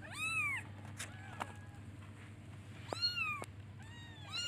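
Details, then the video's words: Kitten meowing to call its mother while searching for her; arched meows open and close the stretch, with quieter mews and a few clicks between, steady low hum beneath. "Cute baby kittens looks for and calls its mother by meowing"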